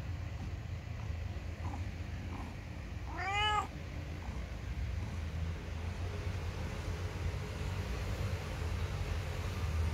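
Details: Ginger domestic cat meowing as though complaining: one clear, arched meow after about three seconds, then only steady low-pitched room hum.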